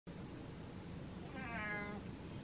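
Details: A domestic cat rubbing on a stool gives a single short, harmonic meow that rises and falls, asking for more brushing; cat.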